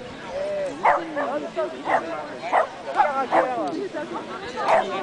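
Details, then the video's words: Boxer at a jumping and agility event in Arnac, village neuf, on 3 May 2009; sharp barks come about once a second, five in a row, with people talking steadily underneath. "jumping arnac boxer agility"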